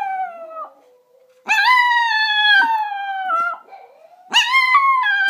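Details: Pet Chihuahua, five years old, singing along to Christmas carols at home while a Yorkie also joins in. Sustained, slightly sliding howls with bright overtones rise sharply at each onset, holding for about two seconds, with brief quiet gaps.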